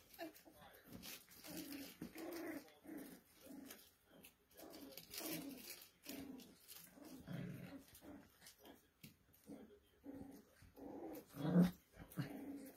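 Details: Poodle puppies making low rumbling growls mixed with short whiny yips, repeated in uneven bursts roughly every second, ending with a sharper squeal.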